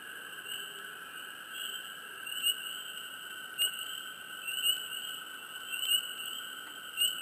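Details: Frogs in a swamp, chirping up close: short bright chirps that come at irregular intervals, about one to two seconds apart, over a steady high droning chorus.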